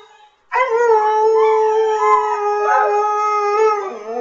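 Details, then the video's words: Saluki 'talking' because it wants to go outside: one long, steady, clear howl that starts abruptly after half a second and holds an even pitch for about three and a half seconds, wavering slightly before fading. "Talking Saluki.... "I want to go outside""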